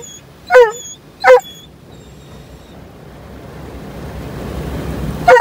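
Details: Dobermann Roman on its first trip through an automatic car wash, giving two quick sharp barks close together, then a long stretch of swelling wash-machine rumble and spray before one more bark at the end.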